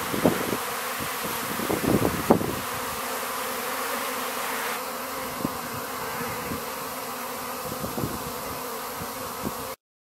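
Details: A honey bee swarm over flowering rapeseed in April in Ariège, France. A thick, continuous buzzing roar with scattered sharp ticks, steady in loudness until it cuts off abruptly at the end.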